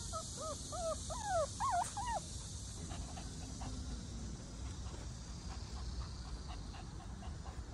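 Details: A Shih Tzu gives a quick run of high, rising-and-falling whines and yelps, excited at seeing sika deer.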